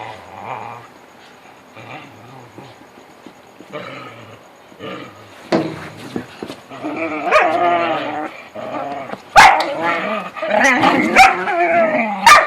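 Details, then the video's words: Whippets playing together in the dark, making funny noises: soft whines and low harmonic growling that build into louder, busier vocal bursts with sharp yelps near the end. "Whippets playing in the dark & making funny noises"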